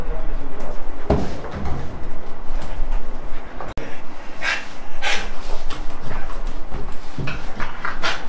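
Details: Bella, a Rottweiler, at a nearby vet for allergy and rash problems on her final vaccine day, agitated around the clinic; breathy, noisy panting bursts come irregularly over steady room noise, with a sharp click and faint voices.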